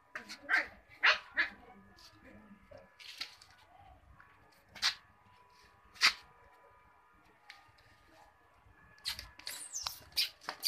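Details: Cocker Spaniel puppies giving short, sharp yips in scattered bursts, several close together at the start and a rapid cluster near the end, with quiet stretches between.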